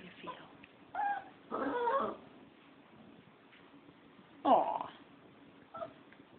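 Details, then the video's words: Pet dog Foxy, feeling left out after the puppy was given a bone, grumbles back in a few drawn-out whining moans and short yips spaced a few seconds apart, against quiet room hiss. "Foxy is ticked off because the puppy got a bone and she didn't"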